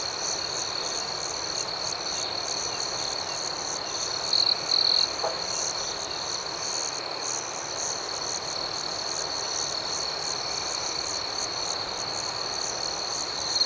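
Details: Steady nocturnal cricket chirping, a thick high-pitched trill with rhythmic pulsing that never pauses, one nearer insect briefly louder early on, over soft natural background hiss.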